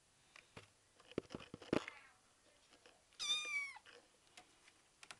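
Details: Betty, a five-week-old kitten eager to play, lets out a single short high meow falling at its end after some tapping and rustling noises in a small room.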